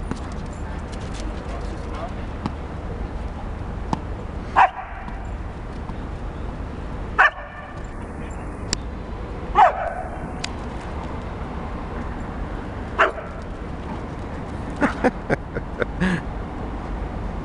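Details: Playful barks and yips from two dogs, Flora, a nine-month-old Akita bitch, and Fox, an eight-year-old Border Collie cross, on the walk home from the park through Arsenal's Emirates Stadium, 22 September 2012; short sharp calls scattered over steady outdoor background noise.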